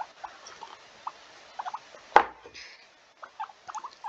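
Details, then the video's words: Pet guinea pig sitting on a person's lap indoors, giving many short, high squeaks in quick irregular bursts, with one sharp louder click-like sound in the middle. "you can hear um a lot of squeaking that's my guinea pig he's currently on my lap squeak squeak squeaks"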